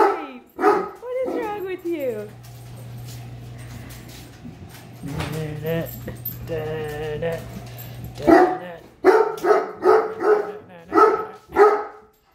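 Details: Great Dane reacting with displeasure to a measuring tape; a woman talks to the dog, then a run of loud, deep barks follows, roughly one every half second near the end.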